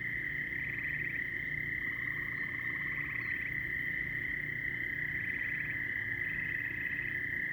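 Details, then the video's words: Frogs in full chorus make a steady piercing ring, overlaid by four short rattling trills at a slightly higher pitch and one longer lower pulsed trill early on, against a low background rumble. "A lot of frog calls"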